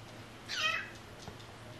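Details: A cat from a rescued stray cat family gives one short, high, thin meow with stacked harmonics, lasting under half a second, against a quiet indoor background hum.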